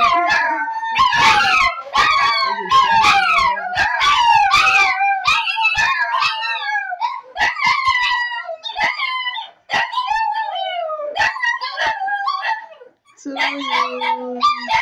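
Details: Several Shih Tzu pet dogs, taught to sing Good Morning, join in a chorus of wavering, bending howls and yips, fading into softer calls, followed by a person speaking.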